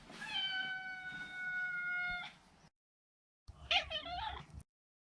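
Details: Neutered male Maine Coon cat uttering a long, level, strongly harmonic meow of about two seconds, then a shorter, trilling, wavering call with quick pitch bends.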